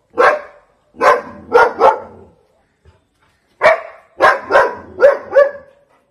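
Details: A Doberman barks in loud, deep bursts while aggressively chasing monkeys away from the house it protects.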